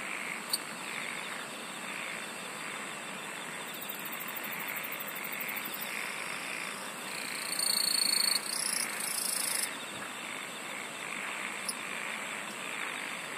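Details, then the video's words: A continuous insect chorus of sustained shrill tones over a pulsing, throbbing layer. Short bursts of rapid high ticking come and go, with a louder flurry near the middle. "SINGING OF INSECTS"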